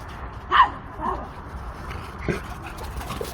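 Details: Jindo dogs play fighting at Dosol Park's dog exercise ground, one sharp yelping bark near the start followed by softer, fainter yips over a low murmur of background noise.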